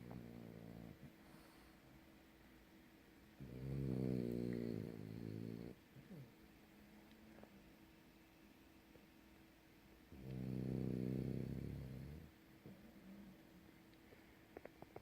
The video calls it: Snoring French bulldog sleeps life away